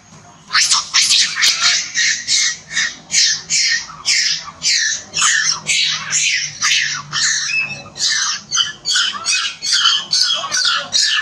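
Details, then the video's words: A monkey described as hurt and crying loudly: shrill, strained screaming squeals repeated rapidly, about two per second, with hardly a pause between them, filling the whole stretch. "Look So Hurt Cry Loudest"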